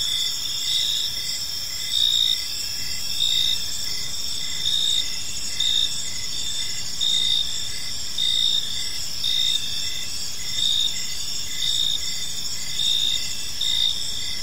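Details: Evening in a peaceful park with crickets chirping: a continuous high shimmering chorus overlaid by a louder pulsed chirp repeating roughly every second, beneath which a soft low ambient rumble persists.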